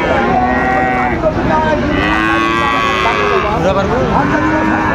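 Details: At Raniganj cattle market in Dinajpur, 29 August 2024, among Sahiwal bull calves: a steady, sustained moo fills the clip, with other cattle calls and faint market murmur behind.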